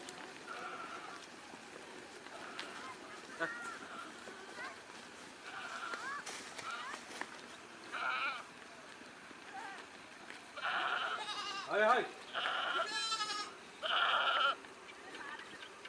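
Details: Farm goats in Nagaon, Assam, India. The clip opens with scattered thin calls and murmuring, then a run of loud, quavering bleats rises near the end. Some are short and some are drawn out, with gaps between them.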